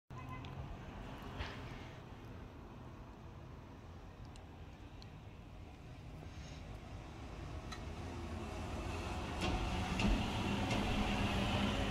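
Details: Steady low rumble of passing vehicles, like road or rail traffic, with broadband hiss and occasional faint clicks, growing slightly louder toward the end; no animal voice heard.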